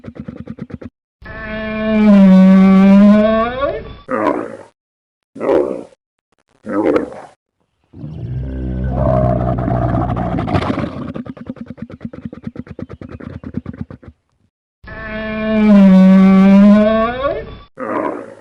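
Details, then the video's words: Repeated camel vocalising: a long, wavering harmonic moan, a series of short, rasping grunts, then an extended low rumbling gurgle, and finally another sustained moan and grunt near the end. "Nah, di sini kalian bisa dengar gimana unta bersuara."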